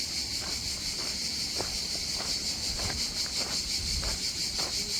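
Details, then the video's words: Beachside cicadas in the south of France, around Antibes and Cannes, keep up a continuous shrill buzz with a fine rhythmic pulse, while sharp footstep-like clicks break through now and then. "Só as cigarrinhas de fundo."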